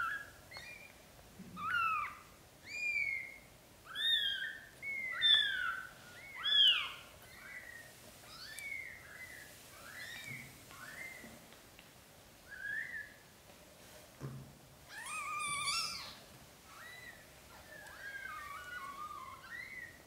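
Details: British Shorthair mother, black golden, moving her newborn kittens to a small nest she prefers over a large bed. A steady stream of shrill, bending mews, close together and sometimes overlapping, comes from more than one kitten.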